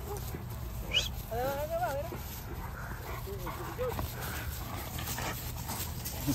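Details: Cane Corso dogs playing hide and seek in tall grass at a favourite outdoor spot, giving wavering, rising and falling whines and short yelps amid a man's voice and steady background noise.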